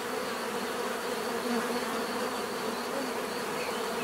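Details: Steady droning hum of bees, thick and unbroken throughout, with several overlapping buzzing tones blending into one even wash of sound.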